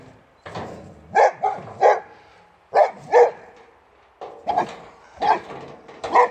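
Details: Boxer dog Rex, a Swedish male, barking at his enemy the wheelbarrow after it took his favourite toy, near Landskrona in southern Sweden; clusters of two or three loud, clipped barks separated by brief pauses.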